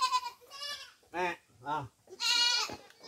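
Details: Domestic goats being fed coconut pulp, locally called tubuan; wavering harmonic bleats open and close the stretch, with a man speaking between them.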